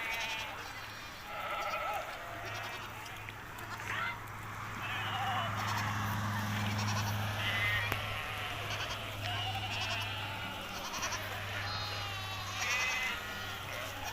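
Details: Hissar sheep on summer pasture in Tajikistan, 20 May 2023: many overlapping quavering bleats from several animals scattered through the stretch, over a constant low hum and occasional voices.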